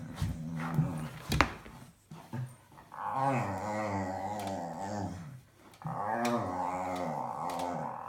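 A dog produces long, warbling grumbles and moaning growls that waver up and down in pitch. After a short pause comes a second stretch of the same undulating, talkative groaning, in a small indoor room.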